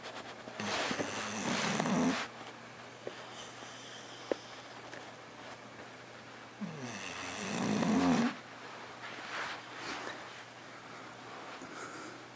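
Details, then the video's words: Porkchop, an English Bulldog, snoring indoors before waking up. Two long, rough, breathy snores, each lasting about two seconds and spaced roughly six seconds apart, with softer breathing between them in a quiet room. "Snoring Bulldog Wakes Up..."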